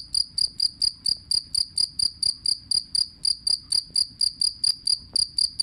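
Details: Two-spotted cricket giving loud, shrill pulsed chirps, about two per second, each a short ringing burst with a higher overtone. The chirps are steady and uninterrupted over a quiet low background.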